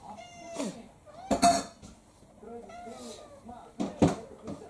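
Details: Indoor domestic cats: Ponko, a female mixed breed about 3–4 years old, attacks Kouhei, a male about 7 years old. A drawn-out meow with rich stacked harmonics opens, then a shorter bending mew, broken by sharp clattering knocks and a human voice.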